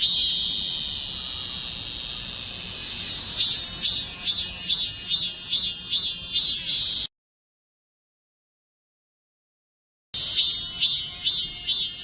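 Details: Cicada calling in the morning, waking people from sleep: a steady high buzzing drone, then pulsed phrases repeating about twice per second, broken by a few seconds of silence before the pulsing resumes.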